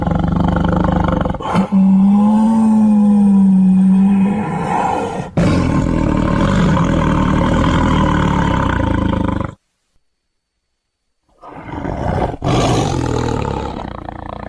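A tiger gives deep, rasping roars, a long rumbling bout, then a pause before it roars again.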